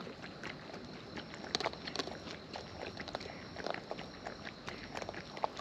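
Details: Wild raccoons feeding close up, giving irregular crisp crunches and wet smacking clicks scattered through the clip, a few louder bites standing out, over a faint steady high-pitched hum in the background.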